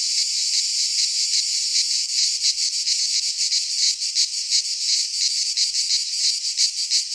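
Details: Midsummer cicada chorus from a pine forest in Greece, a harsh, high, unbroken buzz that throbs in quick, slightly uneven pulses, several callers overlapping, nothing else audible.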